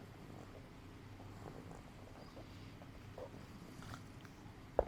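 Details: Adina, a 5-month-old female pug puppy, breathes with difficulty just after reverse sneezing that followed a sudden burst of wild running, around 4pm on May 9, 2012. Low, rasping, purr-like snuffles repeat steadily, with a sharp click at the very end.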